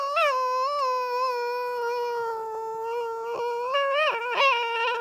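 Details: Long, steady, moaning whine from Milo, a male tricolour Cavalier King Charles Spaniel born in 2012, holding one pitch for several seconds before breaking into short wavering yelps at the end, indoors.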